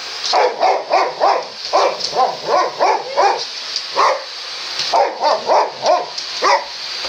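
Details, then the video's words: Ten-week-old Boxer puppy Sammie barking at a vacuum cleaner on first encounter, with older Boxer Rex coming to help; a rapid series of about fifteen sharp, rising yips over a steady vacuum whine. "Puppy's (10w) First Encounter With The Vacuum Cleaner!!!"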